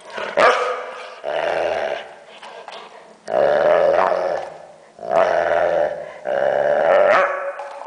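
A Weimaraner makes drawn-out grumbling, moaning noises with nasal rises and falls between short pauses.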